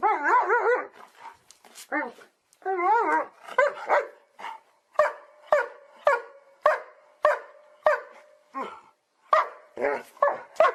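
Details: Dog vocalising naturally: wavering, whine-like yelps at the start, then a long sequence of sharp barks repeated about every half second in a quiet setting.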